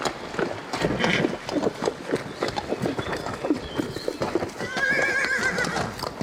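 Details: Horse hooves clip-clop steadily throughout, then a brief, trembling high whinny rises near the end over the continuing hoofbeats and rustling.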